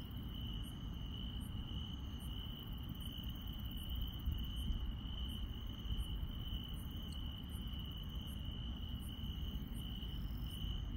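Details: Grass insects on a countryside night keep up a steady high trill, with faint, sharper chirps ticking through it.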